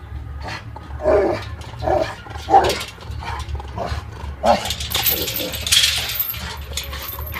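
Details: Rottweilers fighting, short barks and growling bursts repeated about once a second, then harsher broadband snarls, with a steady low hum underneath.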